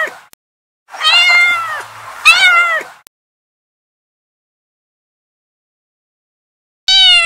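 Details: Domestic kittens, two loud harmonic meows back to back, the second starting sharply and falling, a long silence, then one more short steady meow at the end.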